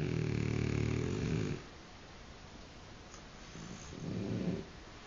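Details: French bulldog snoring loudly, said to snore more than its owner; a deep, rumbling, buzzy snore lasting about one and a half seconds, a quiet pause, then a shorter second snore.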